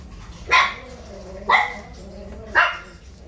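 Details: A 35-day-old poodle puppy playing and rowdy, giving three short, sharp high yaps spaced about one second apart over a low background hum.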